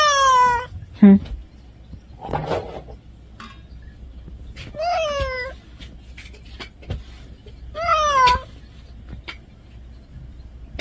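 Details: Caged domestic cat, upset at being shut in, meows repeatedly: three drawn-out, falling harmonic meows about every three to four seconds, with a short squeak and rustling between them, and a person's brief voice.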